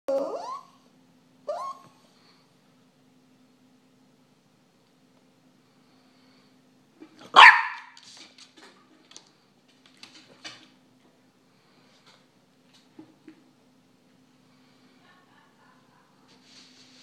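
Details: Small pet dog sitting at a kitchen table begging for food, indoors; a short sharp bark opens, another follows near 1.5 seconds, and a louder harsh burst comes around 7 seconds. Then faint clicks and scattered small noises over a low steady hum.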